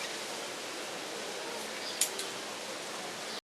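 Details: Even broadband hiss fills the room, broken only by two brief clicks near the middle, and no animal sound.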